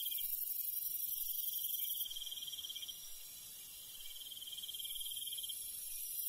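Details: Night insects and crickets in the Korean countryside, a continuous high, dense trilling chorus with steady pulsing, one high band dropping out partway through and returning near the end.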